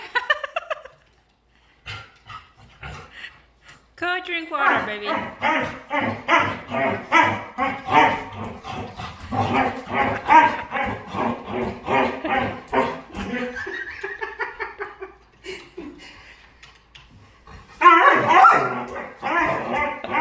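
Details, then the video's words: Dog vocalizing during play: after a rising whine, a long run of rapid, rhythmic grumbling yelps about two per second for nearly ten seconds, a quiet gap, then a louder cry; human voice also present. "Cutest Dog Makes Hilarious Sounds While Playing"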